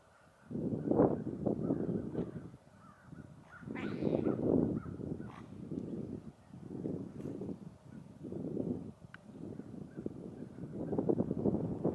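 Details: A pair of otters calling: harsh, rasping bursts in low to middle pitch, each lasting under a second, repeated in uneven groups with short pauses, over a quiet background.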